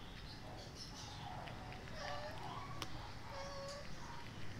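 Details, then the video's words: Hungry kitten scaring away its mother cat and a sibling kitten, giving thin, faint mews that rise and then hold level, one near the middle and another shortly after, over steady low background hiss. "Hungry kitten scares away mom cat and sibling kitten"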